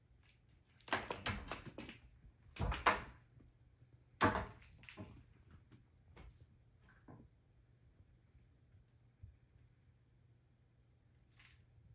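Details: Indoor knocks, thumps and rustling of a toy being batted against a door, with a faint hum and no animal voice.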